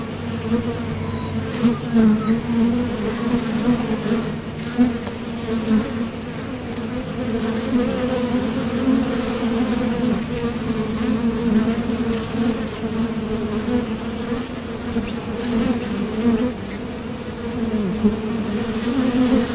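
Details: Honeybees at the entrance of a Top Bar Hive, coming and going as they forage for nectar, leaving and landing. A steady, dense hum with a low droning band and a fainter overtone, swelling and easing slightly throughout.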